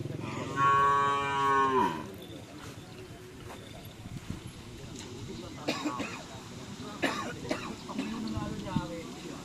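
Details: White Karapan Sapi racing cattle from Sapudi Island give one loud, drawn-out moo lasting about a second and a half. Voices, clatter and a brief lower moo near the end follow.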